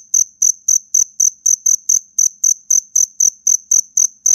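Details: A black cricket calls fiercely in a fight with loud, high, ringing chirps repeated about four times a second. Each chirp carries a faint rasping click below it.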